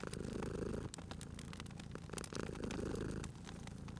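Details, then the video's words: Close, deep rumbling purr from a sleeping cat at a fireplace, two long breaths of steady vibration with fire crackles clicking through the background. "Cute Purring Cat at a Crackling Fireplace"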